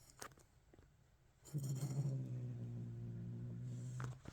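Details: A cat growling: after a faint rustle, a low, steady, droning growl begins and holds evenly for about two and a half seconds, then cuts off, followed by a small click.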